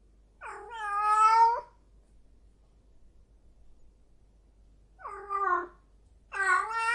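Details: Female cat in heat calling with three long, moaning yowls that waver in pitch, separated by quiet pauses of several seconds.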